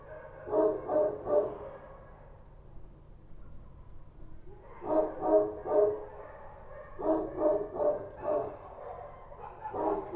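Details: Kochi street dogs barking at night in Kabul, Afghanistan: rough, mid-pitched barks in quick bursts of three or four, with pauses of a second or two between bursts, over a low steady background hum.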